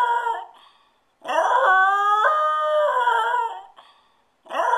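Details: Spoiled dog howling after being left alone at home for a few minutes: a long wavering howl with stepped, rising then falling harmonics lasting over two seconds, framed by shorter howl fragments at the start and end.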